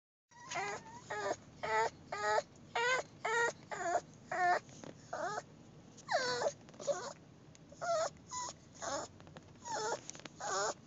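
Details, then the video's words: Whining dogs, recorded on a phone: a long run of high, wavering whimpers with harmonic overtones, mostly short bursts about twice a second, some drawn-out and sliding downward, against a low steady hum. "Whining dogs."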